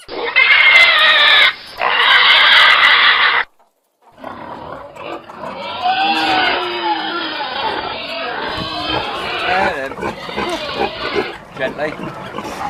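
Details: Pig (Sus scrofa domesticus), squeal.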